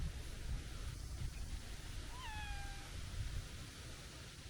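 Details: Stocky tabby stray cat giving a single thin, high, childlike meow, rising briefly then held and trailing off, over a steady low background rumble outdoors.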